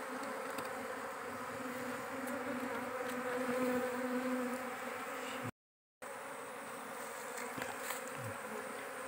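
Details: Swarm of wild forest giant honey bees buzzing during a nest harvest; a constant mid-pitched drone with a faint wavering hum, interrupted by a brief silence before the droning resumes.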